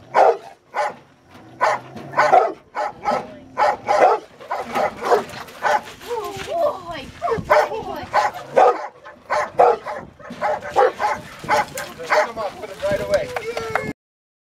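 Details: Rottweiler in its first protection training session biting a sleeve, giving repeated sharp barks roughly twice a second, with a man talking and praising the dog throughout.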